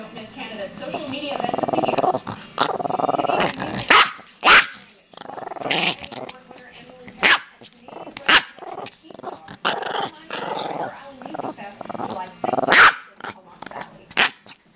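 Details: Chihuahua growling during play: a rough, sustained growl broken by sharp, short yaps at irregular intervals, with a person talking throughout.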